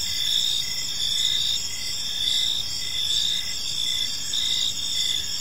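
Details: Several crickets chirp through an evening in a park, thin high trills overlapping into a steady drone with gentle pulsing swells, and only faint low noise beneath.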